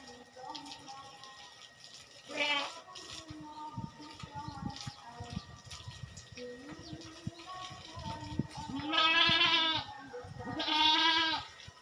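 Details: Goats on a farm during a farmer's routine task done once every two weeks bleat three times, short wavering nasal cries at about 2.5, 9 and 11 seconds, over a bed of soft background music and faint voices.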